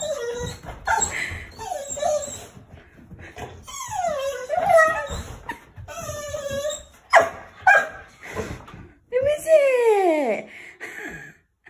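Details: A young female Rottweiler in Nottinghamshire, UK, on 9 May 2021, whines and whimpers in high, sliding, wavering tones. She is overjoyed as her grandparents arrive to visit at her home.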